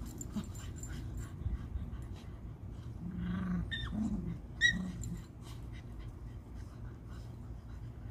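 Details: Pure-bred Cocker Spaniel puppies from a litter of five give brief, thin, rising whines and soft whimpers near the middle, some with a whistled tone, over steady low rumbling and scattered clicks.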